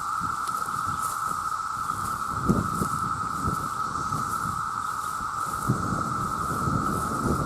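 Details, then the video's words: A loud mating chorus of male cicadas forms an unwavering pitched hum beneath heavy low crackling rustle and wind noise, with a few brief sharp knocks. "The Sound of The Cicada"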